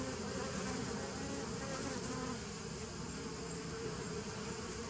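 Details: Bees droning without pause, recorded 27 September 2018; the buzz sits in layered low bands under an airy hiss, slightly louder at the start, then settling into an even hum.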